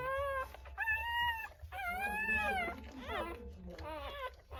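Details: Newborn Rottweiler puppies at birth during a natural whelping: high, drawn-out whining cries with harmonic tones, some rising then falling, in bursts about a second long, with a low steady hum beneath.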